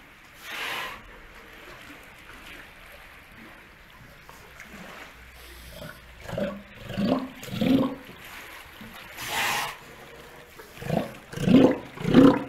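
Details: Steller sea lion at Ise Sea Paradise aquarium, Japan, around a pup born 25 June 2020 to mother Hina and father Kotetsu, in breeding season: low, hoarse bleating calls repeated in a loose series in the second half, over trickling water.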